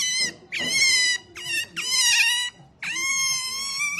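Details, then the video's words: A female pet otter makes loud, shrill squeals in three or four drawn-out bursts, each a high, tonal, slightly wavering whine with a bright, harmonic edge, separated by short pauses. "Otter Melonpan is so cute when she makes noise"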